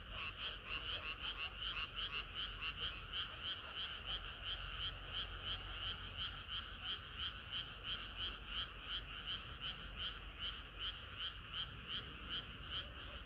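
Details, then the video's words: Hot summer night with frogs singing in chorus, the croaks beating in a clear rhythmic throb roughly three times a second, loud and regular over a faint low background hum. "개구리들의 합창은 끝이 없어라"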